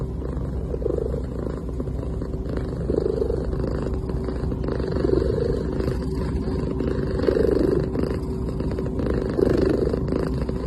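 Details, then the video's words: A cat softly purring in its sleep, each breath a faint rasping swell repeated about every two seconds, five in a row, over a quiet steady hum. "A Cute Cat Making Soft Sounds While Sleeping"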